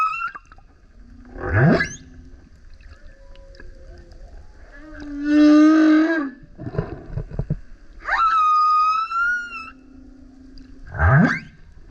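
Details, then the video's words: Male humpback whale singing loudly as it surfaces next to a kayak: a mix of rising sweeps, a harmonic moaning note, a steady high whistle-like tone and low rumbling grunts, units separated by short pauses. "Singing Whale is LOUD - BURPS, GRUNTS, HOWLS + ROARS! Listen as he comes up singing next to kayak"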